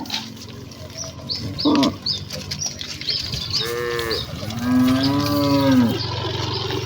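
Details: Village cattle in a herd running eagerly toward their pen. A brief low call comes first, then two drawn-out moos, the last one long and falling. High bird chirps sound throughout.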